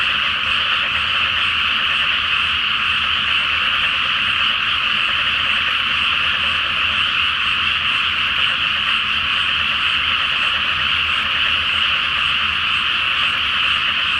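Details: Night chorus of many frogs in a flooded rice field before planting, under a full moon in Japan; dense continuous croaking blends into a steady high trill with no pauses.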